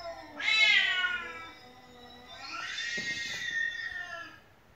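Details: House cat that meows nonstop, answering played cat meows indoors; two loud, drawn-out meows, the first rising sharply and then sliding down, the second softer and longer, with a light tapping sound between.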